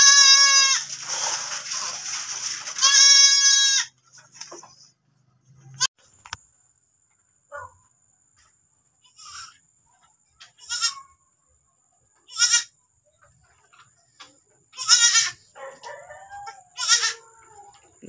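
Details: Goat that has just given birth again, letting out two strong, drawn-out, quavering bleats, then falling mostly quiet apart from faint short calls, clicks and a steady high whine.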